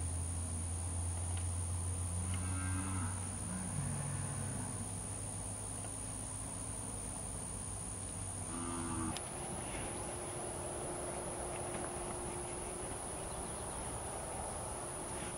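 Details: Brahman cattle herd during a penning and working demonstration on a ranch; a few low drawn-out moos in the first half under a heavy steady hum, then a sustained tonal drone with no calling.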